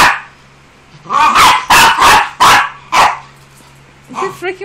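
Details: Pinscher, described as scared of and hating the blower, barking indoors: a burst of five loud, harsh barks in quick succession, then a pause and two softer, higher yelps, over a steady low hum.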